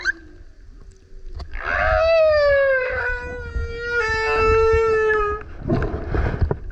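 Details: Loud male humpback whale song next to a kayak as the whale keeps coming up: a faint low tone, then a sustained rich harmonic howl of several seconds, gently falling in pitch, ending in a rough, noisy burst.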